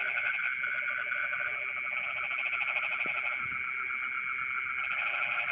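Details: Frogs in rice fields at night croak in rapid pulsed bursts, stopping and restarting, with constant insect trilling, high chirp series and a brief faint knock in the background.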